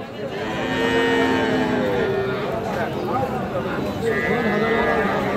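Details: Cattle at Raniganj market in Dinajpur, Bangladesh, 31 July 2025, Friesian and crossbred bull calves on sale: several long, level moos overlapping, one pitched higher late on, over continuous crowd chatter and market noise.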